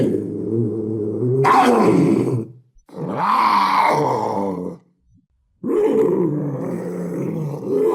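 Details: Panther roaring and growling in three long, loud, raspy bouts separated by short silences, each harsh and rumbling with rising and falling throaty tones.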